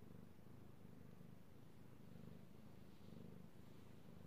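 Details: Io, a male domestic kitty cat, purring while being petted, recorded 3/16/18; a steady low rumbling purr fills the whole stretch with soft pulsing and no other clear sounds.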